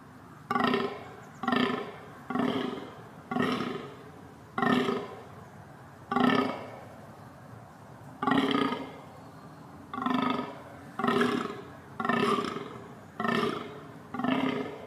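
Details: A reindeer (Rangifer tarandus) gives a string of short, hoarse, burp-like grunts, roughly one every second.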